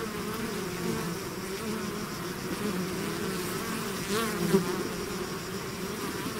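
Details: Bees swarming out of their hive fill the air with a continuous layered hum. Low and mid tones waver gently, and a single louder buzz passes close at about four and a half seconds.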